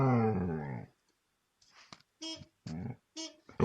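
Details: Dog howling in response to car horns; one wavering, slightly rising howl lasting under a second, then silence, followed by short muffled voiced sounds and a loud burst at the end.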